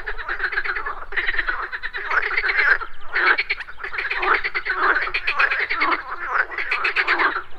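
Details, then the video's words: Morning pond with a dense chorus of frogs, rasping pulsed croaks overlapping almost without pause, swelling and dipping in loudness throughout, with insects reported buzzing alongside. "MORNING FROG POND - Nature of Relaxation, Nature Sounds, Frogs Croaking, Pond Sounds"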